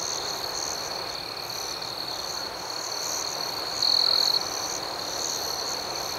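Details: Night crickets in a peaceful outdoor setting, many chirping together in a constant shrill drone with pulsing overtones; midway, one close cricket gives a louder half-second trill.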